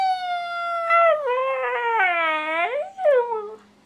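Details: A 17-month-old female Siberian Husky 'talking' indoors, asking to go outside: a long, tonal, howl-like vocalization that holds steady, drops lower, then bends back up, followed by a short falling whine. Her owner coaxes her between sounds.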